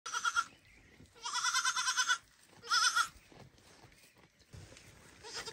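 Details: Baby goat calling loudly to its mother so she will feed it, after watching her eat: three nasal, harmonic-rich bleats, a short one, then a long quavering bleat of about a second, then another short one, with quiet gaps between.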